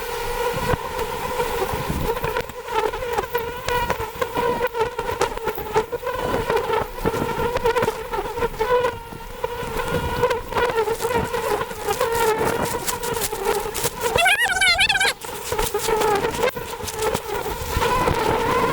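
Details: Honey bees swarm around a huge wild beehive about 100 feet up a forest tree while honey is gathered. A thick, continuous buzzing drone runs throughout, with rustling, knocking, and a brief warbling burst near the end.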